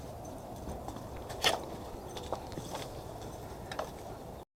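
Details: Indoor scuffles and a few sharp clicks or taps over a quiet room background, with no barking or other animal call.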